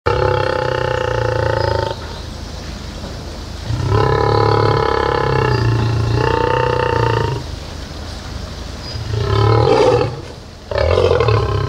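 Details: Lioness at Zoo Leipzig roaring; long, deep, strongly harmonic moaning roars lasting two to four seconds each, separated by short pauses, ending with two shorter, rougher grunting roars.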